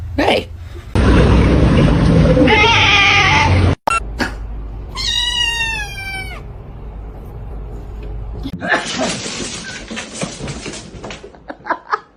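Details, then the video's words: Kitten giving a single clear, drawn-out meow that bends upward and then down, preceded by several seconds of loud rumbling, hissing noise and followed by rustling and scattered clicks. "kitten meowing"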